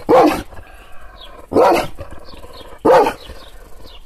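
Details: Three loud, separate barks from an angry Kangal shepherd dog, teased with hand gestures, spaced about one and a half seconds apart, each bark short, harsh and slightly falling, with quiet between.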